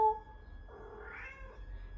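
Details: Charlie Chaplin, a pet cat, replies while being talked to in a small room: a single drawn-out meow, nearly a second long, gliding upward in pitch and then easing down, after a brief clink at the start.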